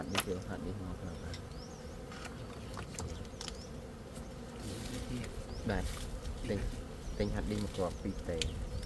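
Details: Steady droning hum of gold honey bees, low and continuous with a sustained mid-pitched tone, while people talk in bursts and scattered clicks and chirps cut through.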